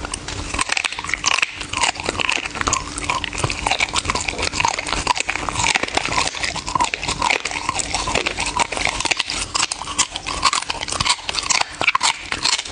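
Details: A dog eating in an ASMR-style close recording, with dense, rapid crunching and biting clicks running without pause throughout, bright and sharp, and no other voices or background sounds.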